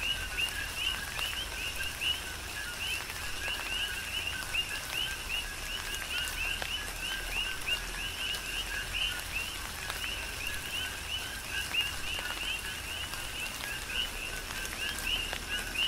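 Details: Tropical rain shower with coqui frogs calling, Big Island of Hawaii; dense overlapping two-part whistles rising at the end, sustained throughout, over an even bed of falling rain and sharp drip sounds.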